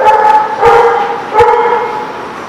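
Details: A dog barks three times in quick succession, each bark loud and harmonic with a slightly drawn-out tail, roughly every 0.7 seconds, with faint background noise.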